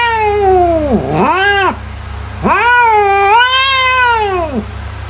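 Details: Domestic cat meowing, offered as a sound to scare mice away: two long drawn-out meows with rich harmonics, the first falling then briefly rising, the second arching and sliding down at the end, over a steady low hum.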